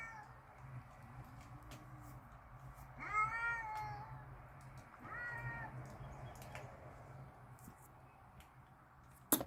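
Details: Backyard cats, mad and squaring up to fight, giving two wailing, slightly bending yowls a couple of seconds apart against a constant low hum and faint ticks.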